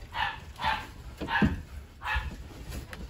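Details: Hungry Rottweiler puppies, part of a litter of eleven being dewormed indoors, clamor for food: four short harmonic yelps come in quick succession, each a bright brief burst, while a woman speaks and moves about the room.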